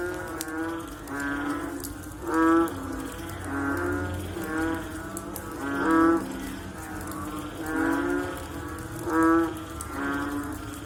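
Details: A chorus of frogs after rainfall: repeated deep, nasal, cow-like calls, louder ones every three to four seconds, fainter calls filling the gaps over a steady background drone.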